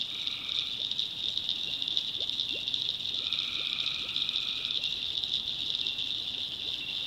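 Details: Tree frogs calling at night in the backwoods of North Carolina: a dense, unbroken high shrill chorus, with a lower buzzy trill about a second long breaking in twice and soft ticking sounds beneath.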